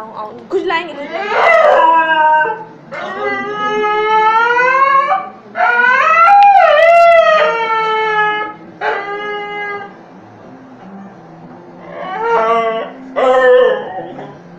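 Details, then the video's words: Ghanti, a stray dog that spends days in a home and leaves at night, protesting at being kept inside for the night: long drawn-out howling whines that rise and waver, in bursts of one to three seconds with short pauses, with a person speaking Hindi. "Dog argues to go out for playing and won"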